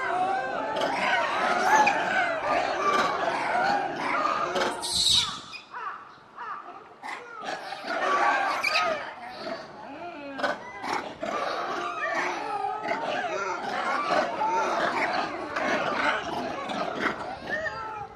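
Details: A group of zoo monkeys erupts in loud, excited chattering and squealing calls that overlap continuously as staff approach with food.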